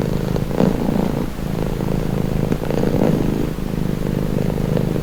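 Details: Soft, low purring from a cat, a rumbling steady drone with gentle rises in loudness about once a second, slightly muffled.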